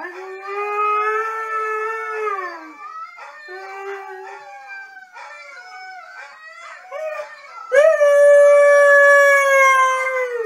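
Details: Siberian Husky singing, a long howl: a steady sustained tone, then wavering, broken yodel-like notes, ending with a loud, rising then slowly falling prolonged howl.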